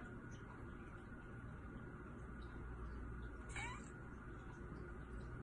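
A Persian cat gives one brief, rising meow over a steady low background rumble.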